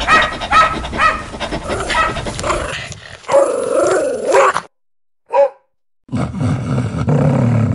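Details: Fierce domestic dog barking loudly to protect its owner: a rapid run of harsh, loud barks, then a drawn-out, wavering growling whine, a brief gap, one short yelp, and a low rumbling noise at the end.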